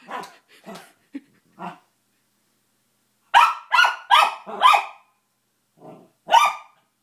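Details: Barking at his new squeaky toy, Bentley the dog starts with soft low grumbles and yips, then fires a run of four loud rapid barks, a quieter grunt and one final sharp bark.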